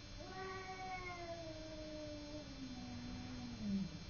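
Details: Domestic cat Simba squaring off with the neighbour's cat in a fight, letting out a single sustained moaning yowl that slowly falls in pitch and ends in a rough, louder growl, over a low electrical hum.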